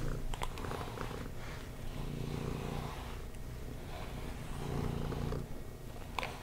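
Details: Pet cat purring continuously during brushing, a deep, even vibrating rumble with slight swells in strength, accompanied by faint rustling and a few crisp brush clicks.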